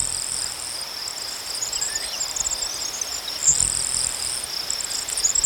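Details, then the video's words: Crickets chirp in a sustained high trill, overlaid by an even higher, louder stuttering buzz that comes and goes in broken bursts. "Crickets chirping sounds"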